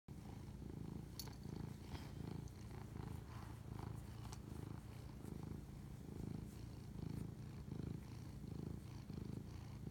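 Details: Domestic cat purring while bonding with its owner at 11:07 pm on March 25, 2019; a steady low rumble swells and fades in breath cycles roughly every 0.8 seconds, with faint soft clicks above.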